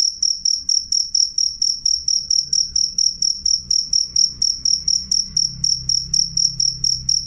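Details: Shrill, clear cricket chirping at high pitch, sharp pulses repeating rapidly about four times a second in an unbroken run; soft low background hum throughout.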